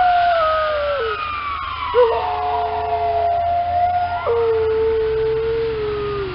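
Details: Alaskan Malamute howling on a walk on a snowy December morning in response to a passing ambulance: long sustained tones that step down in pitch and are held, over the wailing siren.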